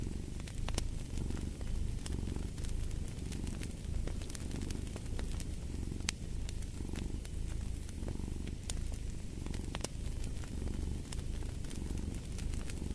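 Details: Deep, continuous cat purr rising and falling in regular pulses roughly once a second, with a crackling fire snapping loudly over the low rumble.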